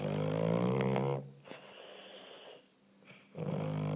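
An English Bulldog snores in loud, rumbling, raspy breaths with quiet pauses between.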